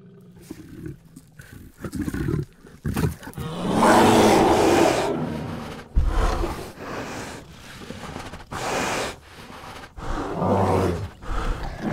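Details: An Asiatic black bear in the wild in Vietnam gives harsh, rasping roars in loud bursts, with quieter grunts between them.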